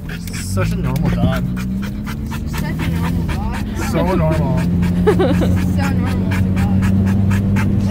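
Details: Dog in a car makes wobbly, looping vocal warbles in a few clusters, half-buried under a constant low drone from the vehicle.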